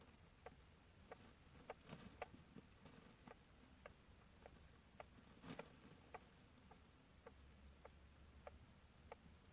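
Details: A hamster snores in its sleep, making a run of tiny dry ticks spaced about every half second to second, with a few louder broadband clicks mixed in against low, even background hiss.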